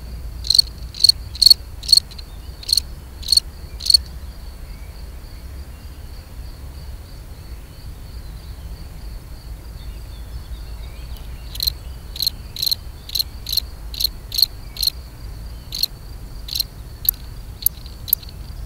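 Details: European field cricket (Gryllus campestris) mating song: a short run of shrill chirps, then a long quiet gap with only a soft steady high tone, then a second run of quicker, thinner chirps.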